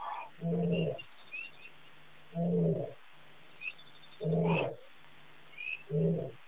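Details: At Pete's Pond, Mashatu Game Reserve, Botswana, on June 22, 2010, a lion huffs in low, throaty half-second bursts about every two seconds, with thin high bird chirps between; birds, impala and baboons also gave alarm calls.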